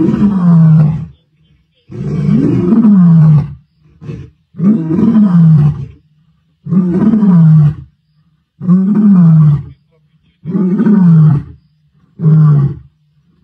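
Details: After killing the Guernsey male lion, the Mbiri males remain nearby and roar their presence over his body: a sequence of deep, rumbling roars, about seven loud bursts repeated roughly every two seconds, separated by short quiet pauses.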